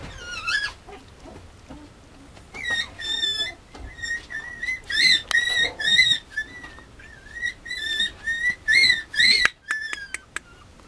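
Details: Male Mame Shiba puppy whining in a long series of high, thin squeals with bright overtones. Most squeals are short and wavering, a few are drawn out, coming in quick bursts with brief pauses, ending in sharp clipped yelps. The background is quiet.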